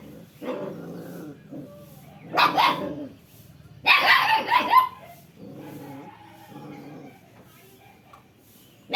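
A dog gives two loud, rough barks, with softer, quieter voiced sounds before and after.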